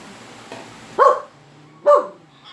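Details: Dog that dislikes strange noises keeps barking: two loud, clipped barks under a second apart, with a faint low hum and quiet room sound between them.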